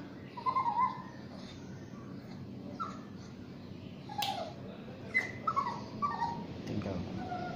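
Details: During a bath, the Shih Tzu–Yorkie mix named Basuki gives soft, short whimpers, small tonal squeaks scattered every second or so over a low room hum, with one sharp knock midway.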